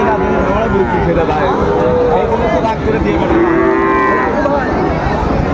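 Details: Lowing cattle amid the bustle of Raniganj cattle market, Dinajpur, 3 September 2024, with Friesian and crossbred bull calves on sale: a couple of curved, tonal moos emerge midway through steady murmuring crowd noise and nearby talk.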